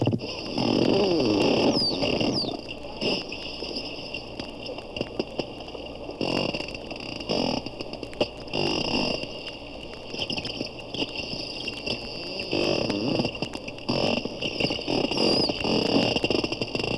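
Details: Underwater hydrophone recording of probably four captive porpoises at a Daytona zoo, one sometimes close to the microphone: rapid clicking repeated about 220 times a minute, rough pulsed rasps and faint high whistles, over a constant background hum.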